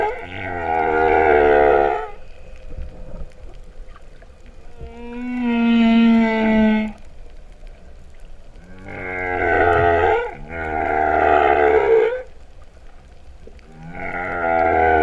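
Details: Humpback whale song recorded underwater at Vava'u, Kingdom of Tonga, in September 2015, likened to a cow's moo: long harmonic moaning units about two seconds each, alternating with a higher pure tonal wail, repeated with short gaps.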